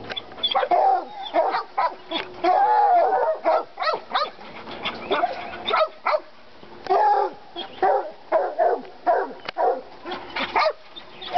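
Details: In North Carolina, Treeing Walker Coonhounds Lady and Cooper, excited by a coon skin, let out quick choppy barks in bursts, broken by a brief drawn-out howl early on, then more barking volleys.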